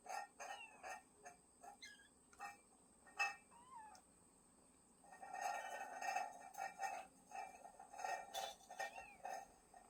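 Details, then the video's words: Cat family living in a woodpile, recorded 20 August 2022: a few short meows bending up and down in pitch early on, then a long run of rapid, repeated soft clicking bursts. "장작더미 속 고양이 가족"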